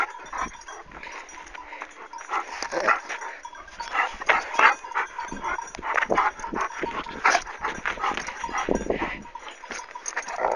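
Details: Scuffle in which a Kangal turns on its owner and a white dog comes to the rescue; continuous rough growling and snapping barks in irregular bursts, rising and falling in intensity throughout, with constant background hiss.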